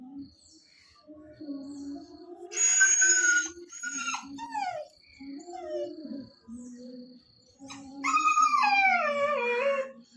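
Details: Chikku, a nine-month-old puppy born on August 15, crying because his father left without him: two long, high, wavering wails that slide downward, with low speech and music between them.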